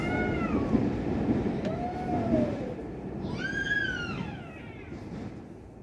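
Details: Two angry tomcats in a fight: drawn-out yowls with strong harmonics, a low moaning wail then a high rising-and-falling howl, over a steady rumbling background noise.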